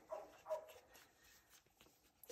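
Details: Two-week-old French Bulldog puppies whimpering: two brief, high squeaks in quick succession at the start, then faint rustling and a small sound at the end.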